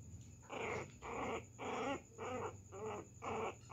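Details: A Pinscher puppy pesters a poodle with quick, high, nasal yaps, each brief and slightly drawn out, in a steady run of almost two per second.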